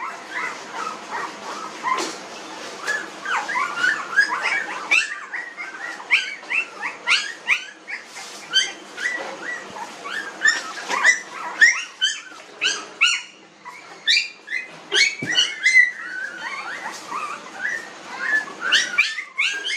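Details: Newborn puppies, 19 days old, in a village, giving a steady stream of high, squeaky whimpers and yelps. The short rising and falling cries overlap from several pups throughout, with a few soft thumps between them.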